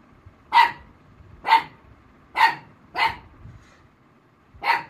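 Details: Black Mouth Cur female Rossy barking in response to someone copying a puppy's sound. Five strong, evenly shaped barks ring out about once a second, with a brief pause before the last one.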